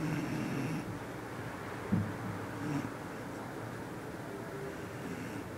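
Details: A Bull Terrier, very tired after training, snores softly indoors with low, rough breaths rising and falling.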